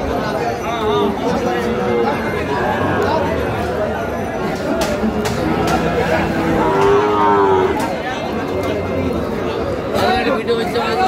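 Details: Sahiwal bulls at Ambari cattle market, where a farmer from Cumilla is buying, 18 April 2025; a drawn-out, low, tonal moo rises and falls midway, with shorter lowing earlier, over constant crowd chatter and bargaining voices.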